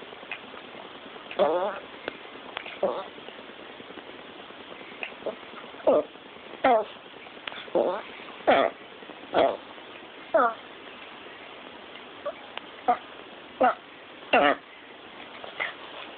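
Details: Yorkshire terrier making its funny sound: a run of short, nasal, harmonic squeaks and grunts, some wavering in pitch, coming irregularly at roughly 78 per minute over faint background hiss.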